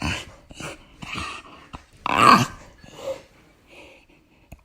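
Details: Old English bulldog making odd indoor vocal noises: a run of breathy snorts, grunts and burp-like rasps, with one louder throaty burst near the middle, followed by softer puffs and a short click at the end.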